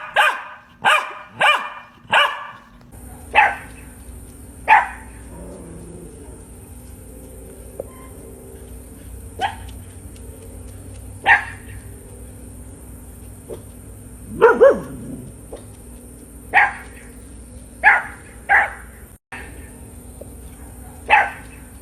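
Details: Barking of an Australian Shepherd at varied pitches: four quick sharp barks open, followed by single barks spaced irregularly a few seconds apart, with a faint steady background hiss.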